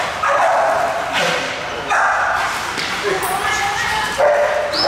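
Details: Barking from Hewie, a big super XXL pet pit bull in Indonesia: loud bursts about every one to two seconds, mixed with people talking in the background.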